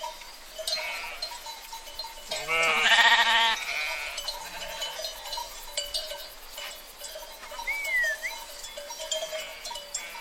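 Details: Sheep from a herd: one loud, wavering, harmonic-rich bleat lasting about a second, with steady ringing bell-like tones, scattered clinks and a brief bird whistle behind it.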